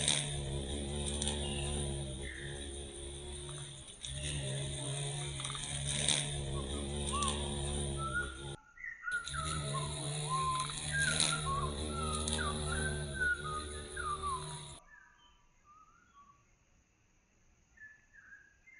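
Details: Violet carpenter bee in Mazovia, Poland, seen again after being declared extinct there in 2002. Two long, loud, low buzzing passages run nearly fifteen seconds with a brief break between them. Bird song continues faintly underneath and alone at the end.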